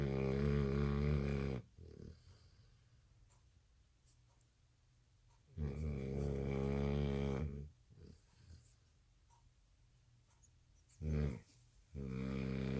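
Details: American Bully puppy snoring loudly in its sleep at night, worn out after skipping a nap following dinner; long, rattling, harmonic-rich snores lasting about two seconds each, with quiet breathing gaps of several seconds between them.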